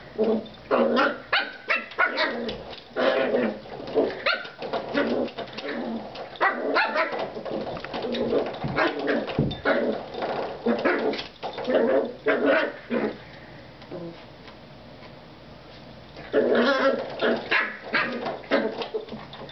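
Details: Jack Russell Terrier puppy playing with a door stop: repeated high yappy barks and growly play noises in bursts, with springy twanging of the door stop and short pauses.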